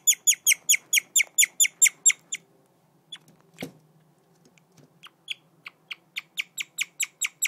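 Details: A guinea pig (Cavia porcellus) chirps in fast runs of shrill, bird-like notes, pausing briefly before starting again.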